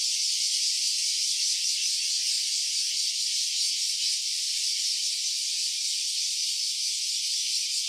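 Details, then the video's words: Cicada calling, recorded in stereo on a smartphone: a steady, shrill, hissing buzz held without a break, with a fine even rasp throughout and no other sounds. "Cicada's voice."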